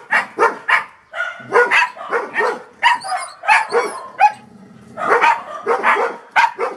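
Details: Toby, a Golden Retriever, barks in quick bursts of loud, sharp woofs, often two or three close together, with a brief quiet pause midway; no other clear sounds.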